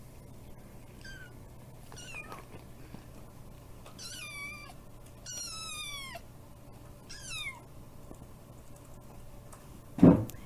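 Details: Tiny kitten Kiki, who has feline hyperesthesia, meows while demanding more bonito flakes at feeding time: a series of about five harmonic, downward-sliding mews spread over eight seconds, ending in a brief louder thump.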